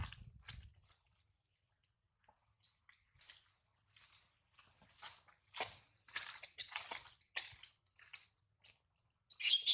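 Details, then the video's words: A baby monkey, bitten by its mother while trying to steal her milk, cries in pain: bursts of thin, high, squeaky cries that come faster and grow louder toward the end, with soft chewing-like clicks between them. "little monkey steal milk till mom fight bites her , so pity she cry by hurt"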